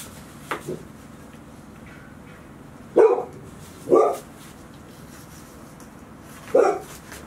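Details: Golden Retriever puppies, about 158 days old, five kept indoors all day at Ain Village as Typhoon 24 approached, 30 September 2018; four short sharp barks spaced irregularly over seven seconds against a quiet room.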